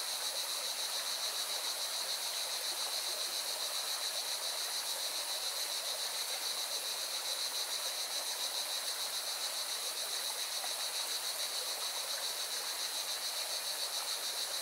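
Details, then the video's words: Singing cicadas beside a mountain river in Valencia, Spain: a steady, dense buzzing chorus with a bright high band and fast, even pulsing throughout, over the constant broad rush of flowing river water. "Певчие цикады и шум горной реки"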